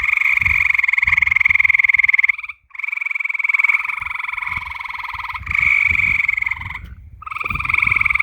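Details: Frogs at night produce long pulsed trills lasting two to three seconds each, separated by short silent breaks, the buzzing notes steady and even in pitch.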